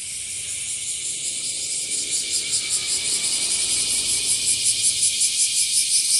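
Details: Bear cicada (washiwashi) singing during a season when it is becoming more common, in trees and grass: a high, harsh rasping drone that swells in loudness and settles into clear rhythmic pulses of almost three per second.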